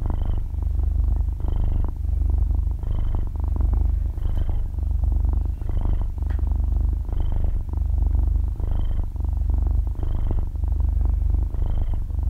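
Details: Sleeping six-month-old kitten purring loudly and softly like a small motor, close stereo recording: continuous low purr swelling with each breath, about nine rhythmic cycles, quiet room with no speech or background music.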